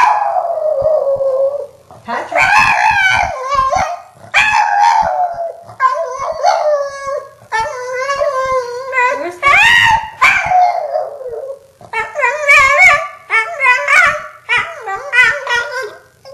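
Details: Indoor female Boston Terrier howling and screeching in pitiful bursts as her missing owner's name is repeatedly called. A run of wavering, rising-and-falling yowls separated by short breaks, with a person's voice speaking between them.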